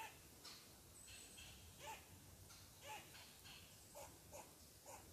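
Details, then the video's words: A squirrel, agitated because someone sits on its tree, barks steadily: raspy clipped bursts about once per second, a few doubled, while a faint high bird whistle drifts in the background. "Mad Squirrel Barks at Me"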